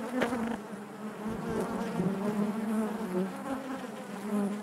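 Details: Short stretch of steady honey bee buzzing inside the hive, a deep even hum with a slight rise and fall and a soft tap near the start.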